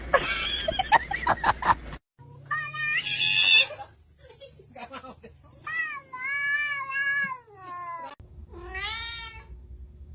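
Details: A domestic cat gives several drawn-out meows that rise and fall, after a brief burst of clattering noise.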